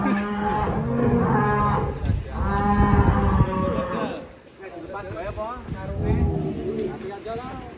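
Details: Giant champion bull of an Indonesian cattle contest, with a child riding it, lowing in long droning moos with a rich harmonic tone, two strong calls in the first four seconds, then fainter calls under men talking.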